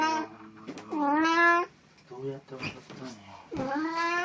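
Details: Puran the pet cat, in Snow White costume for an encore showing on 1 April 2017, utters a clear wailing meow, a short softer mew, then another rising meow, with quiet indoor noises in between.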